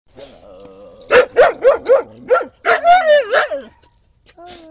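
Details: Brown skinny mutt named Rusty barking up a storm beside Peekero, a red Husky, in late 2006: a rapid burst of about eight sharp, high yapping barks, then a wavering, sliding whine-like tone and a short quiet pause.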